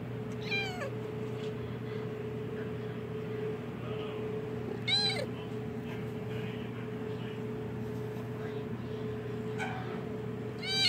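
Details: Newborn Siamese kittens giving short, high, squeaky mews, about four brief calls spaced several seconds apart, over a loud steady electrical hum.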